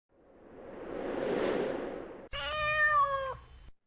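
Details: Newly arrived kitten in a home, crying impatiently while the other cats eat, before bursting out of its cage: two seconds of broad rushing noise, then one clear, high, harmonic meow lasting about a second, held steady and then cut off.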